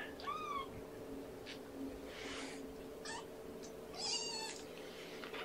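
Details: Amber, a kitten from Gamora's five-kitten litter, still hungry and vocal during syringe feeding at breakfast on 2018-05-07. Faint high mews rising then falling, at the start and near the end, over steady room hiss.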